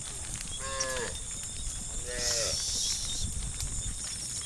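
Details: Village cattle mooing in the evening, calling their herd; two short harmonic moos, the second falling at its end, over steady high insect-like hiss and low rumbling background.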